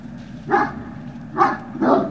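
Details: Great Dane puppies at Puppy Hill, recorded on 18 November 2018 in the early afternoon: three short, bright yapping barks, the last two close together, over a steady low background hum.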